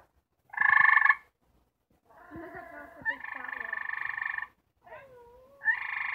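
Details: Gray treefrogs, four trying to mate, calling in turn: a loud short pulsed trill, then a longer overlapping chorus of trills with sliding, warbling lower notes, then more trills starting at the end.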